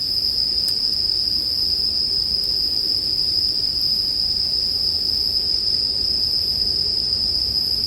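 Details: Chirping of bell crickets, mixed with campfire sound for sleep. The high-pitched ringing is sustained and uniform, over a soft low noise bed, with a couple of brief crackle-like ticks.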